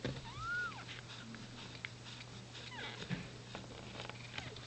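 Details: Queen cat in labour indoors as a kitten is born still inside the amniotic sac; one clear, short arched meow opens the recording, then a fainter sliding call follows amid quiet rustling and a constant low electrical hum.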